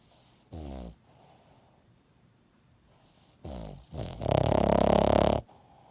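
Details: Congested dog, its nose still blocked after an illness, snoring loudly: a short rattling snore, a pause, then a long, buzzy, vibrating snore lasting over a second, low and harsh.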